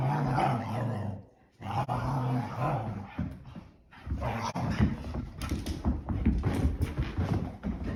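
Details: Two English Springer Spaniels playing indoors on a rainy day after being kept in all day. Low, rumbling growls with steady harmonic bands, briefly breaking off twice, over scuffling and thumping from rough play.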